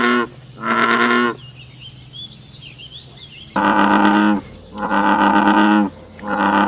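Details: Natural frog chorus after nightfall: long, bleating, droning croaks in irregular bursts, with a gap filled by faint, high, wavering chirps before the croaking resumes three more times.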